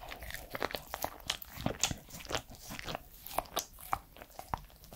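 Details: Edmundo, a three-year-old Pembroke Welsh Corgi, crunching food close to the microphone indoors: sharp, irregular crunches and wet mouth clicks, dense and bright, continuing throughout.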